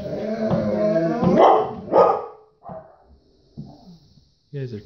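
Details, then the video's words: Golden Retriever Bo asking to go potty: a wavering, harmonic whine that builds into two louder, rougher bark-like bursts, then fades into brief, softer grumbles separated by silences. "GOLDEN RETRIEVER DOG HAS TO GO POTTY! TALKING DOG!"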